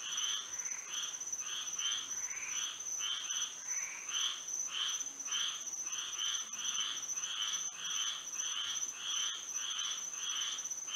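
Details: Nighttime frog chorus in Florida by moonlight, many frogs calling together: short grating croaks in quick bursts, sometimes doubled, repeated roughly once a second, with a steady shrill insect-like hum throughout.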